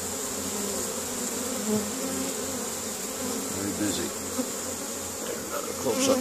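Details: Close to foraging honey bees carrying pollen into their hive in spring, Caribou, Nova Scotia, Canada, 10 May 2015; a dense, wavering hum of many bees with small swells as individuals fly past.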